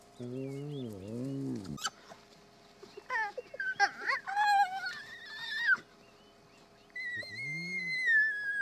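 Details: Spotted hyena family at the den in Kruger National Park, South Africa, in the chaos as returning members meet a mother and cubs; a wavering low moan, then bursts of high squeals and whines, a thin sustained whistle and a short low groan.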